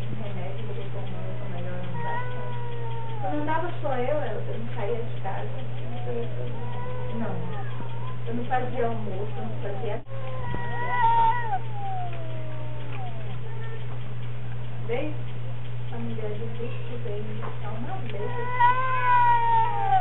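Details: Domestic cats in a strange fight, exchanging drawn-out wavering yowls and meows that rise and fall, overlapping throughout, with a steady low hum and faint human speech in the background.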